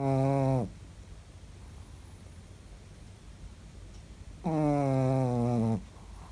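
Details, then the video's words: Ritchik, a Chihuahua, snoring while asleep indoors: two drawn-out, tonal, buzzy snores that slide slightly downward, one brief at the start and a longer one about four seconds later, with quiet breathing between. "ЧИХУАХУА. СОБАКИ ТОЖЕ ХРАПЯТ"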